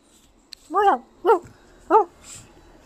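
A Boston Terrier gives three short, high, arched barks about half a second apart.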